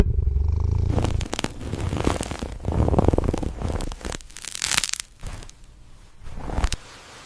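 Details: Domestic cat munching food: irregular bursts of crunchy, crackling chewing and smacking, loud at first and then in scattered clusters, over a steady low rumble that may be purring.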